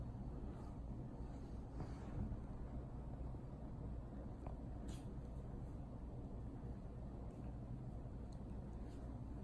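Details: Steady low rumble of vehicle or engine noise with no clear animal sound. A few faint, brief hisses rise above the drone, but no bark, burp or other animal voice stands out.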